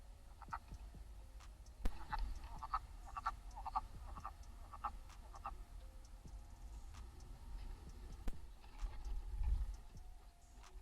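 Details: A male wood frog at a vernal pool, recorded by a knocked-over trail camera during Frog Week, gives a quick run of hoarse, duck-like clucks over a low background rumble; wood frog (Lithobates sylvaticus) call.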